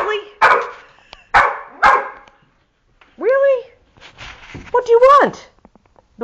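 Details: Pet dog demanding a squirrel instead of the offered cookie: three sharp, noisy barks in quick succession, then two drawn-out, arching yowls that rise and fall, with a person talking to it in between.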